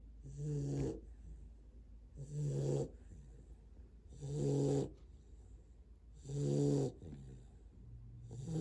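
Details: Great Dane puppy asleep, snoring like a buzzsaw: a deep, rough, droning rasp on each breath, about every two seconds, with quiet pauses between, indoors.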